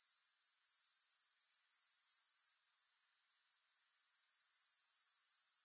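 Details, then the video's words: Grasshoppers give a bright, rapidly pulsing high chirr that drops out abruptly after about two and a half seconds, leaving a faint hush before the shrill gradually builds back up. No music is heard. "3 Hours of Grass Hopper Sounds"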